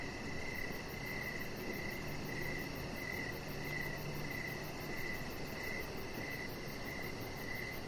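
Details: Crickets chirp through the evening near a deck where the chihuahua puppy Rocket lies among decoration lights. Clear chirps repeat every third of a second in a steady rhythm over a faint high pulsing and a low rumble.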